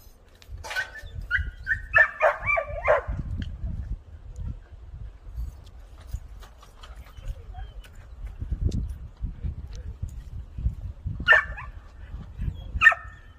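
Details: Two young Jindo dog sisters, adopted to Chuncheon and growing up freely. Short, high yipping barks come in a quick cluster early on and again near the end, with low rumbling handling noise between.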